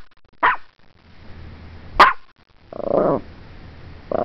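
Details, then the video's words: Morkie dog barking at the camera: two sharp, bright yaps a second and a half apart, followed by a short harsh growl and the start of another yap. "(Morkie) Barking Like Crazy at my Camera"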